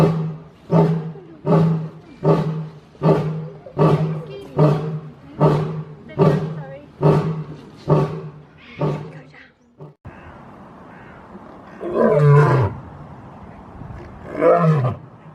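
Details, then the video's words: Wild lion roar, a warning to intruders: about eleven deep, rhythmic grunts repeated roughly every 0.8 seconds, fading toward the end, followed by a brief hissy gap and two louder, rough, groaning calls. "The amazing lion roar sound compilation in wildlife"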